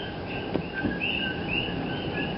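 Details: In Hawaii, many male common coqui frogs call together in overlapping two-note whistles that jump upward in pitch; only males call.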